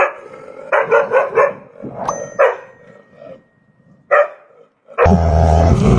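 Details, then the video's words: Bursts of four quick barks, then single scattered barks from a dog over a low murmur, ending in a sudden loud, harsh broadband noise that covers everything. "SOM DO CACHORRO, CACHORRO LATINDO"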